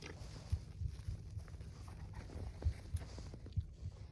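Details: Two wolfdog puppies (not pure wolves), Silas the bigger and smaller Bear on top, growl and snarl low and rumbling with short grunts and snaps while play fighting and jaw sparring, normal play that burns off energy and hones coordination.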